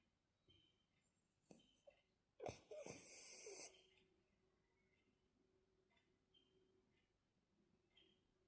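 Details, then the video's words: French Bulldog asleep, snoring quietly indoors: soft faint breaths, then one loud rasping, broadband snore lasting about a second near the middle, fading back to gentle wheezy breathing. "The dog is sleeping and snoring quietly"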